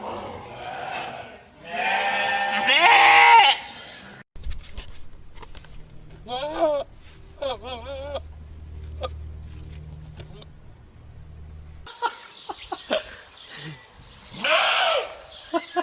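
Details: Goat bleating among goats and sheep: a loud strained bleat near the start, then two short quavering, wavering bleats midway, with people talking nearby and a steady low hum underneath.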